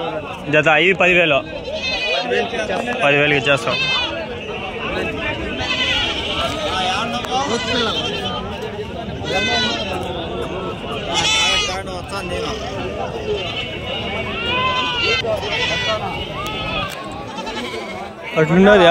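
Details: Red sheep at a sheep market: several wavering, tremulous bleats rise out of the crowd at intervals, set against constant Telugu bargaining talk and the background bustle of the market.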